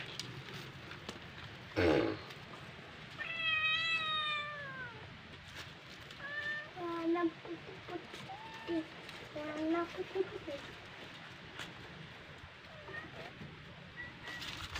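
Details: Domestic cat playing with a fish, giving a long falling harmonic meow near four seconds, then a run of shorter clipped meows between six and ten seconds, with a loud thump and background speech.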